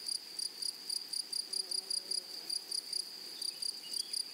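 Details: Grasshoppers calling in a flowering meadow: a high, metallic buzzing tone chopped into short bursts, about five per second, evenly repeated over the whole stretch.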